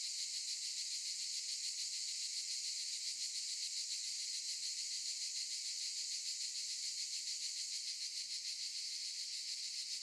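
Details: A dense chorus of cicadas in olive trees buzzes without a break, a high, rasping hiss that pulses slightly.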